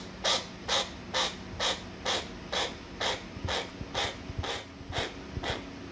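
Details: A chinchilla gives soft, breathy 'pupu' puffs, about two per second, a call of mild dissatisfaction or boredom, made when its owner looks at a phone or there is an unpleasant sound.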